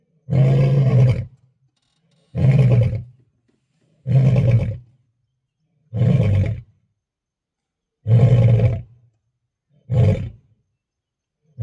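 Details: A lion on safari delivers a series of six short, deep grunting roars spaced about two seconds apart, powerful and low, with silence between them.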